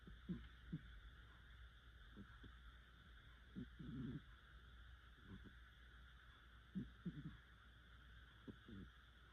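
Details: Soundly asleep house cat giving hearty snores: low, grating breaths recurring every few seconds, some single and some doubled, fainter in places, over a constant background hum of an appliance.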